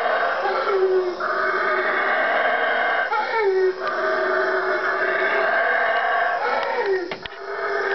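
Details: Howler monkeys, four seen at daybreak three trees away, calling at 3am in the Guatemalan jungle; a continuous loud, harsh roaring chorus with rich layered tones, briefly dipping around three and seven seconds before swelling again.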